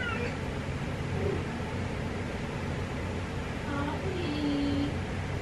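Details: A female domestic cat wallowing gives soft meows: a short falling call at the start and another bending call near the end, over a steady low household hum with a person's voice in the background.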